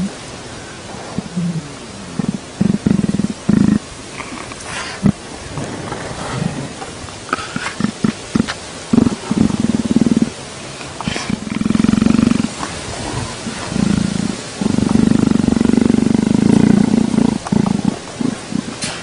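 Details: Male leopard being petted and enjoying it gives a string of rough, low, pulsing growls in short bursts of one to two seconds, separated by rustling and handling noises.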